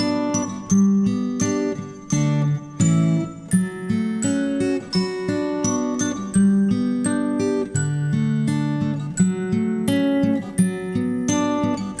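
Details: Strummed and plucked acoustic guitar music fills the whole stretch, with no animal voice.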